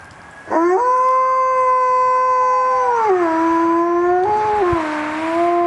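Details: Alaskan Malamute howling in response to fire truck sirens: a long, steady, tonal howl held for over two seconds, then stepping down in pitch, briefly rising, and settling into a lower sustained note.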